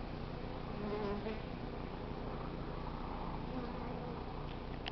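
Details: Hived honey bee swarm from a South Pasadena crape myrtle tree, queen in, outside bees marching into the entrance and fanning wings; an even, low, humming buzz throughout, slightly swelling early on.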